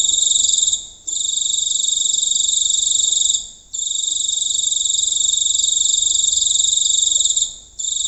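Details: Giant cricket singing close to the recorder on a rural night: a harsh, high, pulsing buzz held for several seconds, with quick drops to silence about every two to four seconds.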